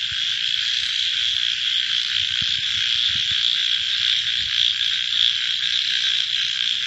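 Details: Night chorus of frogs: a steady, shimmering high-pitched din of many callers blended together, continuous from start to finish with slight swells in loudness and no other clear sounds.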